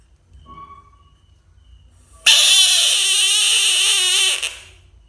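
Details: Frog giving a loud, harsh scream lasting about two seconds, steady and buzzy with a wavering tone, then cutting off sharply. Only faint low background hum before it.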